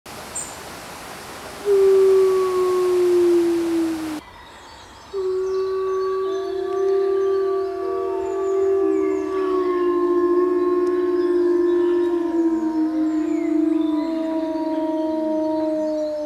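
A lone wolf's long, sliding howl gives way to a pack chorus of overlapping, drawn-out tones.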